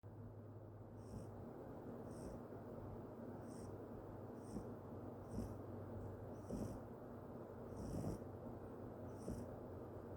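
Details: Sawol-i, a Yorkshire Terrier, snoring: soft, low, rhythmic breathing noise about once a second, each breath topped by a thin hissy whistle, steady throughout.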